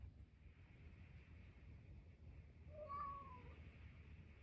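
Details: Harpo, a 13-year-old pet cat who survived cancer, brings his toy sea monster and gives one drawn-out meow that starts high and slides downward, heard against a soft low room hum.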